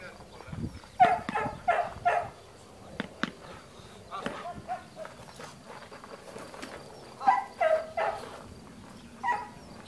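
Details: Trained long-haired German Shepherd on guard duty at a dog training school in Spata, Greece, barking in short bursts: three deep barks near the start, another pair later and a single final bark, with quieter sounds between.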